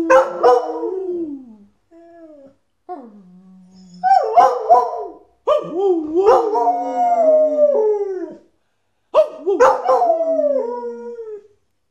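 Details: Border Collie singing and howling with its owner: a series of wavering, sliding howls with yelping breaks, each phrase rising then falling, separated by short pauses, in a small room.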